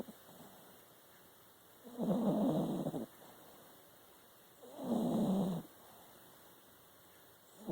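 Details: Domestic dog asleep and snoring, two coarse, buzzing inhalations about a second long with a slight wavering whine, spaced around three seconds apart with near silence between.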